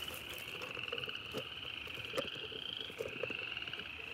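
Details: Frogs croaking again in wooded country near East Dublin, Georgia, heard as a steady high trilling chorus that runs unbroken through the clip, with faint clicks and knocks and low rumble underneath.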